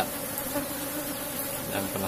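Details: Hive of Asian honey bees kept in a box during honey harvesting; a soft, even, continuous low hum with faint background noise.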